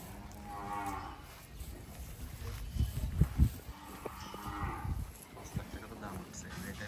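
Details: Brahman cattle on a natural cow farm in Bangladesh, with cows roaming and grazing; two drawn-out, low, harmonic-rich moos about three seconds apart, with scattered thuds and background chatter between them.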